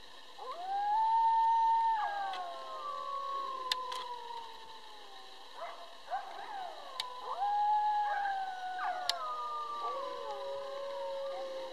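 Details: Pack of about twelve coyotes howling: long, smooth drawn-out howls that rise, hold steady and slowly slide downward, several voices overlapping in layered tones, with a second wave of howling starting near the end.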